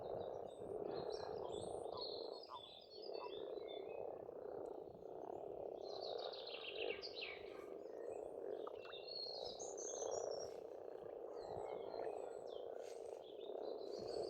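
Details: Spring frog chorus from an Estonian farmstead pond, a thick unbroken churr of overlapping croaks, while several birds add bright chirps and short whistled trills above it.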